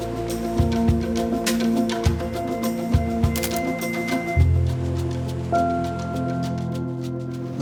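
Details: Steady sustained music tones with soft knocks and rustling, and no animal voice.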